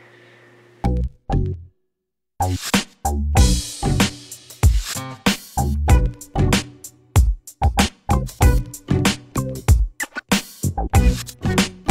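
Punchy drum-machine music with a funky beat fills the recording; no animal voice stands out.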